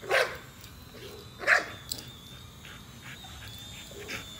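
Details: Nola, a female American Bully, chases a drone and lets out two sharp barks near the start, then quieter sounds. The drone's steady whine continues throughout, and a person's voice is also heard.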